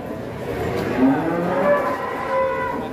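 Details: Giant fattened cow from Gunung Telomolya, lowing with a soft, wavering moo that swells and fades over a few seconds amid low crowd murmur.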